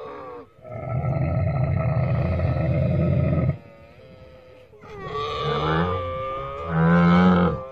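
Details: Camel giving a long, deep, rough roaring groan for about three seconds, then a gurgling, wavering series of higher tonal bleats rising and falling, ending in a loud low moan.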